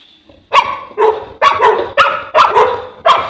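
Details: Deep, booming barks from a Boerboel (African Mastiff), one of a couple of these dogs kept in Egypt: six strong barks follow a short pause, spaced about half a second apart.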